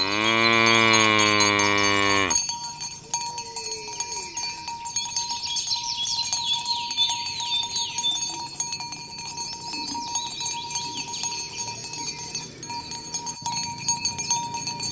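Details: Tame cows herded along village roads toward the pen in the morning, calling others to gather: a loud, deep, steady moo lasting about two seconds opens the recording, followed by clanking cowbells and high chirping birds.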